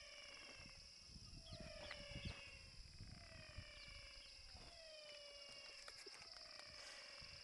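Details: Young caiman, described as fierce even when small: faint repeated descending tonal chirps about once a second, over a steady high electronic whine and low handling thumps.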